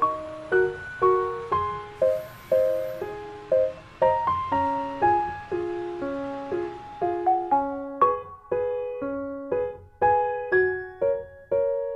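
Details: Gentle piano or keyboard melody of evenly spaced plucked notes, with no animal sound.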